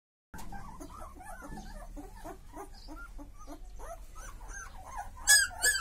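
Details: Several show-quality Chippiparai puppies whimpering together, a dense overlapping chorus of short rising and falling yelps and whines with a few sharper high squeals near the end.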